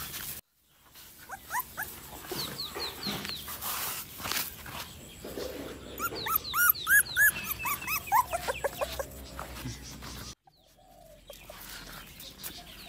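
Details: Bangkaew puppies whimpering and squealing in a series of short, high, rising and falling cries, densely packed in the middle and fading toward the end, with scuffling and handling noises around them.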